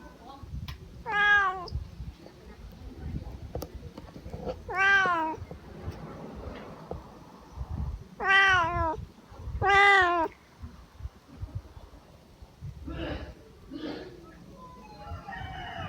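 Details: Four drawn-out meows spaced a few seconds apart come from a lazy Siamese cat that has just woken up. Each is bright and harmonic, wavering in pitch, with quieter broken mews and soft noise between.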